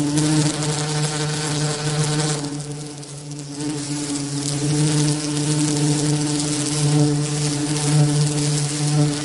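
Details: Bee buzzing with a continuous low, even drone and a slight dip in loudness partway through. Hiss fills the background.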